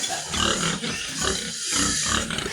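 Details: Sows on a farm, two in heat and due for artificial insemination. Loud, continuous squealing with harmonic grunting tones, rising and falling over about two and a half seconds, with barn noise behind.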